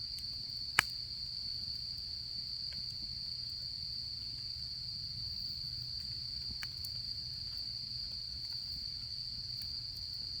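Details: Autumn insects heard by a campfire: a clean, even, high-pitched trill sounds without pause, broken only by a few crisp snaps of burning wood, one loud pop near the start.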